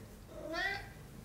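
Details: Young Maine Coon cat indoors giving one short, soft meow that slides upward and then eases off, lasting under half a second, against a quiet room background.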